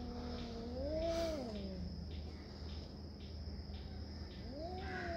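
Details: Cat fighting over territory, giving low drawn-out moans that rise and fall, one swelling around the first second and another starting near the end, with a constant high insect buzz and low background hum.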